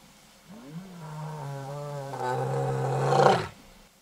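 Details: Casper the white lion attacking the mother of his cubs after three days of mating with the Satara Lioness, Kruger National Park, South Africa; a deep sustained growl rising into a loud harsh snarl, then stopping abruptly.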